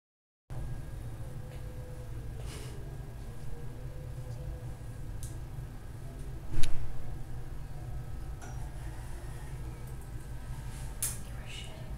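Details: A steady low hum in a small room with occasional clinks and a brief thump, and no animal voice heard.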